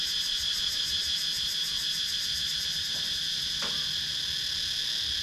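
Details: Countryside woodland cicadas in Sakon Nakhon, Thailand, GoPro Hero 9 recording: an unwavering high-pitched rasping drone with quick regular throbbing, and a short sharp tick partway through.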